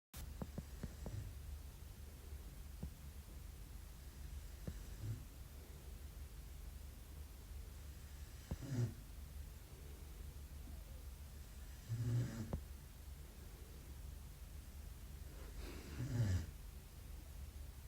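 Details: Sleeping Belgian Malinois puppy snoring softly: three low, rasping snores spaced about four seconds apart, rising out of a quiet indoor background with faint low hum and occasional small clicks.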